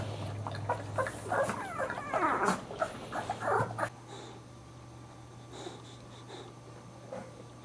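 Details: Boxer puppies giving high, wavering whimpers and squeals that sweep up and down in quick bursts during the first four seconds, then fall quiet over a steady low hum with a few faint soft sounds.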